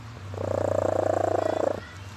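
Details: Leah the cat snoring while asleep: one drawn-out, raspy, buzzing breath lasting about a second and a half, with a fine rapid flutter and a steady low hum underneath.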